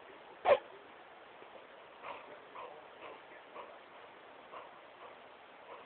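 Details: Great Pyrenees named Smokey playing on his couch in his room: one sharp, loud bark near the start, then a string of faint, softer huffs and whines spaced about half a second apart over low room hiss.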